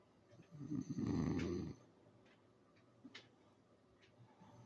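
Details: A sleeping English Bulldog gives one loud, rough, low snore, then a quiet stretch with faint soft breaths.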